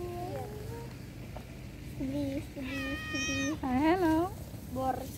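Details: Domestic cat meowing, shown in a context of separation being hard: a few short tonal calls, then rising-and-falling meows with clear overtones, repeated in bursts over several seconds indoors.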